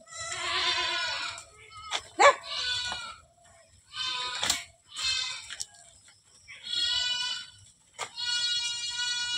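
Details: Bleating from a herd of more than 100 farmed goats: wavering, nasal calls of one to one and a half seconds, overlapping and repeated, with a steady low hum underneath.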